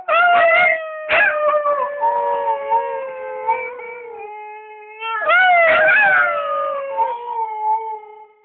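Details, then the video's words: Siberian Husky howling: two long, drawn-out tonal howls, each opening with short yelping notes, then holding a steady pitch that slowly sinks and fades, with a pause of about a second between them. "husky howling"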